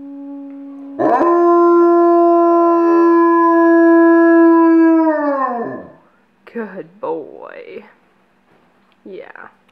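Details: Pet dog howling on command on a couch: one long steady howl of about five seconds that bends downward at the end, followed by brief human voices.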